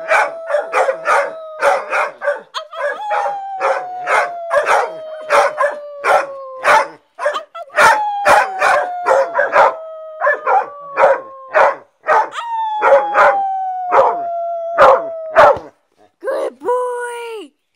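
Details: Howling dogs: several long, slowly descending tones, each a few seconds long, over quick regular percussive pulses, ending with a short rising-and-falling yelp.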